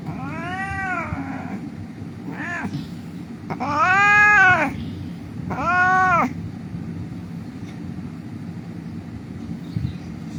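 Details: Injured cat rescued from a street, crying: four wailing meows, the middle two louder and longer with a rise and fall, followed by several seconds of low background rumble.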